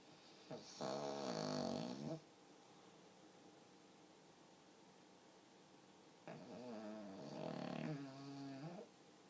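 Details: Pug dog sleeping and snoring, two drawn-out rasping snores roughly four seconds apart, the second wavering in pitch and rattling, separated by near-silent breathing indoors.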